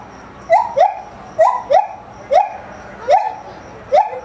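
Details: Gibbon at Maruyama Zoo, filmed 4 September 2010, singing while swinging arm over arm through branches, the call carrying widely across the zoo; clear rising whoops come in pairs, repeated about once a second, loud and slightly echoing.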